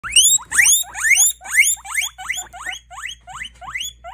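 A guinea pig wheeks in a rapid series of high, rising squeals.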